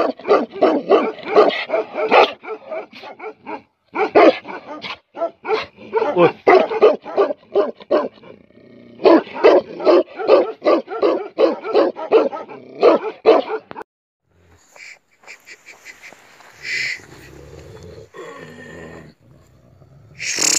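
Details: Deep, harsh barking from angry Tibetan Mastiffs (Bhote Kukur), fired in rapid volleys of about two to three barks per second with short pauses, then giving way to quieter scuffling and a few high noises near the end.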